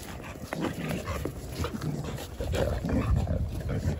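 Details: Jindo dogs playing together on a cold December Saturday morning in winter: a busy stream of short yips, scuffles and clicks over a low background rumble, with a man's voice faint at times.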